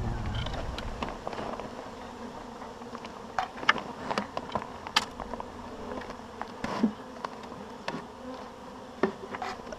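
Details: Honeybee swarm being shaken into a hive, two small shakes and the bees marching in; a dense steady buzzing hum fills the clip, broken by sharp knocks and taps of wood and equipment.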